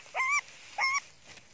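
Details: Hungry monkey Janny crying for its mother gives two short, even, tonal wails about half a second apart, fairly faint over a quiet background.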